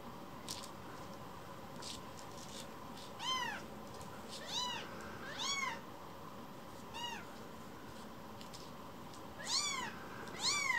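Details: Rescued baby cat coming back to be stroked: faint soft sounds at first, then a series of short arched mews, several spaced about a second apart, ending with a quick pair of cries.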